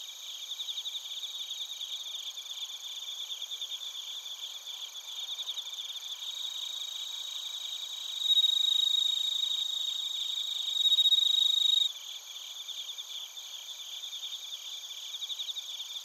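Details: Bell crickets and crickets chirping at Narita, Chiba Prefecture, Japan, via TASCAM Portacapture X8; high pulsed trills repeating about 220 times a minute, with two louder ringing surges near the middle of the clip.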